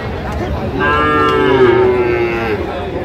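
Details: Sahiwal bull calf at a cattle market in Gopalganj, Bangladesh, on 22 July 2025: one drawn-out, harmonic moo of nearly two seconds that holds a steady middle pitch and sinks slightly at the end, with faint market chatter behind.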